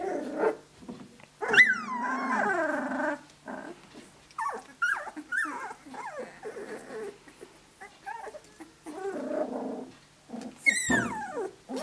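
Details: Seventeen-day-old Australian Shepherd puppies from Dazzle and Naishe, playing with each other: a sharp yelp opens into a long wavering whine, followed by low growly grumbles and squeaks, ending in a loud high squeal.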